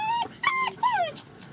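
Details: German Shepherd puppies on their first time outside with their mother at a kennel in Mayo, Florida, give high, drawn-out whimpering whines: three tonal cries, the last sliding downward, with faint background hiss.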